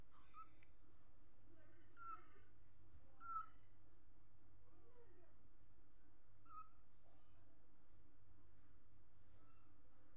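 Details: A kitten gives faint, short, high, thin mews, about four brief squeaks spread over ten seconds, each a quick bent note. A steady low electrical hum runs underneath throughout, with soft rustles between the calls.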